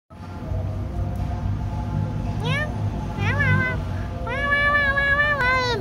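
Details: A cat crying while being held, giving several rising-then-falling meows, the longest near the end, over steady background noise and some talking.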